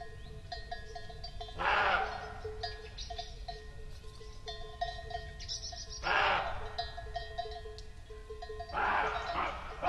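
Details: Roe deer in meadows at Rascafría, Sierra de Guadarrama National Park, barking after the rut, perhaps alarmed by nearby cows or driving them off its territory; three gruff, rasping barks about four seconds apart, with cowbells clanking throughout.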